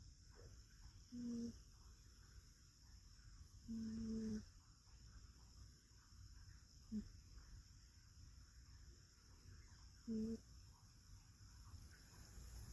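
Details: Sleeping rescue cat resting its head on an arm, snoring in whistled nasal tones: four separate snores of uneven length and spacing, the second the longest, over a soft low hum.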